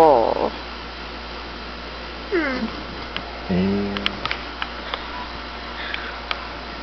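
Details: Doberman dog making 'talking' noises. There are three short vocal sounds: a falling whine at the start, a rising squeaky whine, then a lower, drawn-out moaning grumble, with faint clicks and taps afterwards.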